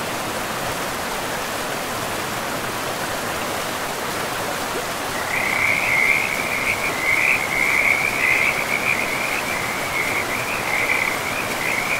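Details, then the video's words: Frogs in a pristine forest by a river, a rapid rattling croak starting midway and repeating steadily, about two per second, over the constant rush of flowing water. "River and Frogs sleep sounds"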